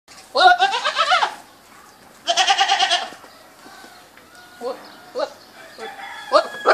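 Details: Goats bleating: two loud, wavering, harmonic-rich bleats about a second each, followed by shorter, quieter bleats and chirpy calls in the background.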